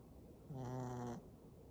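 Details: A Shih Tzu, whose snoring gets louder with tiredness, gives one short, low, buzzy snore of under a second in a quiet room.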